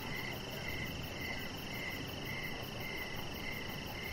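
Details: Crickets chirping in the evening near a deck where a chihuahua puppy lies. A steady, high pulsed chirp repeats about twice per second over a constant higher ringing tone and a low, even background hiss.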